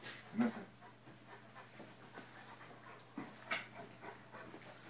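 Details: Niky, a Rottweiler x Akita cross, at an autumn dog-training camp in a small pub, Zbraslav near Brno, Czech Republic, October 2016. Soft breathy panting with a few louder huffed breaths, over a steady low indoor hum.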